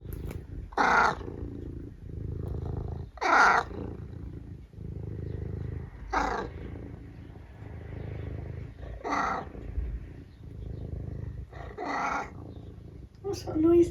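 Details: Domestic tabby cat making odd noises indoors at breakfast time in the morning: five loud, harsh, broadband bursts spaced about every three seconds, with low rumbling between them, like snorting or sneezing; a person talks afterward.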